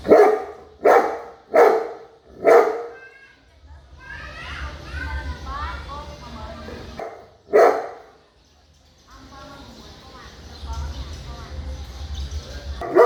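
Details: Big dog barking: four loud, deep, hoarse barks in quick succession about once per second, then a stretch of distant voices and children playing, one more single bark, and murmuring in the background.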